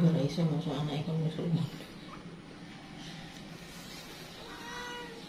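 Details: Mother cat calling in panic as her kittens scatter: a loud, low, harmonic meow lasting under two seconds, then quieter room sound with a faint, thin, higher mew near the end.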